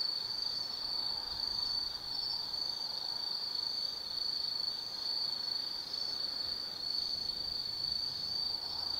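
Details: Insects of the Tsukimi no Mori forest, Gifu Prefecture, Japan, calling on an autumn night; a loud steady high-pitched ringing trill with gentle pulsing, little other sound.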